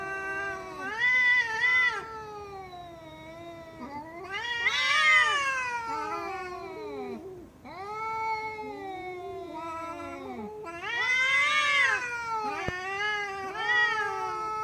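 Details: Domestic cat meowing loudly in long wailing, yowling calls that swoop up and down in pitch, several drawn-out cries in sequence, almost caterwauling, with brief breaks between.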